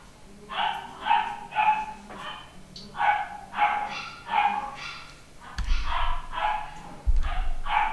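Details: Male Papillon puppy, nine weeks old and pedigree, at a UK home breeder, giving about eleven quick, high-pitched yaps in uneven bursts across eight seconds, with occasional low thumps and handling noise underneath.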